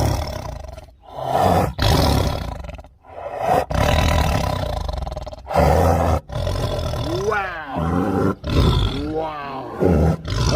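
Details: An angry tiger gives repeated harsh roars and growls in bursts roughly every two seconds, with a human voice speaking over the later part.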